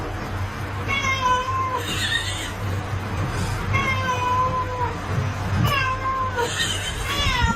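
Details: Domestic cat from a funny cat compilation giving four clear, repeated meows about every one and a half seconds, each rising then bending down, over a steady low hum.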